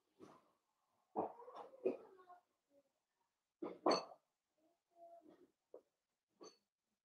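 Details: A blenheim Cavalier King Charles Spaniel litter of five, two girls and three boys, plays with their mother indoors: overlapping growly grumbles, whiny tonal squeals and sharp yips tumble in irregular clusters throughout.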